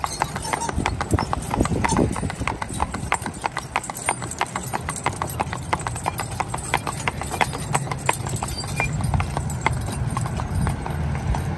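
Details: Crisp clopping hooves from a harnessed pair of spotted draft/Haflinger cross horses, mother and son aged 8 and 4, used for farm work and traffic driving. Steady quick strikes run throughout over a low rumble, with a soft voice early on.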